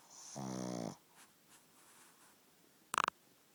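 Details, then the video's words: Sleeping pug snoring indoors; one buzzy, nasal snore lasting about half a second, then quiet breathing and a brief rattling snort near the end. "Pug snoring"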